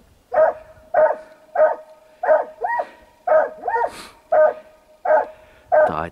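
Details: Russian hound barking while chasing a hare during a hunt on open pine heath, about 700 metres away; a steady run of about ten short, hoarse barks, evenly spaced roughly every 0.6 seconds.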